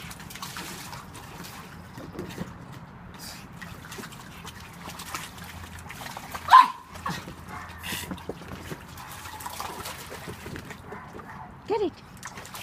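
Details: Pug angry at a toy shark, giving two short, sharp barks about five seconds apart over a steady background of trickling and rustling noise.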